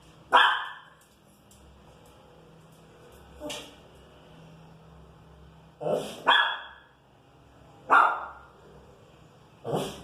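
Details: Pinscher annoyed by noise in the street, barking in spaced, sharp bursts, some doubled, over a low steady background hum.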